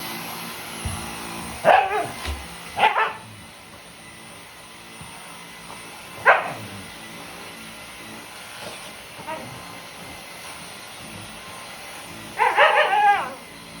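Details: Shiba Inu × Siberian Husky mix named Sakura, a pet dog agitated by a Dyson vacuum cleaner, giving short sharp barks in scattered bursts with long pauses between, over a steady mechanical hum.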